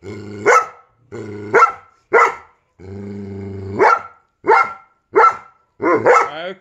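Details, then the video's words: Giant Schnauzer reacting to a squeaky sound. Low, droning growls swell into sharp, rising bark-like yelps, about eight bursts in six and a half seconds, separated by short silences. "Giant Schnauzer vs squeaky sound"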